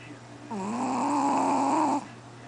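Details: Loud snore from QBY, a sleeping Chihuahua, said to outdo a person: a single sustained, raspy snore of about one and a half seconds with a steady whistling tone, rising slightly at onset, over a faint hum.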